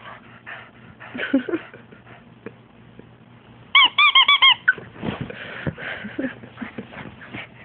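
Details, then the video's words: French Bulldog freaking out indoors, giving a rapid burst of about six high squeaky yelps in under a second, amid snuffling, scrabbling and grunting noises, with a steady electrical hum. "frenchie freek out"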